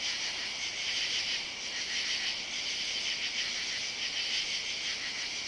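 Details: Loud katydid chorus on a July 31 summer night beneath yard oaks, recorded on foot near a driveway; steady high-pitched rasping band with soft rhythmic pulsing, no other clear sounds.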